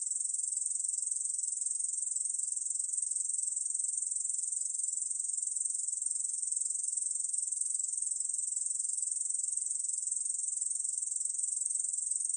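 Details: Unbroken, shrill, sizzling trill of a Korean bush cricket, recorded in 2020 by the National Institute of Biological Resources, steady in pitch and loudness from start to finish over a silent background.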